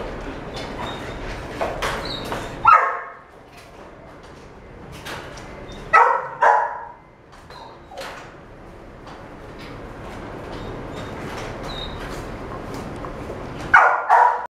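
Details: A female yellow Miniature Dachshund puppy, born 17 May 2017, gives sharp, high barks in a few short bursts separated by quieter stretches.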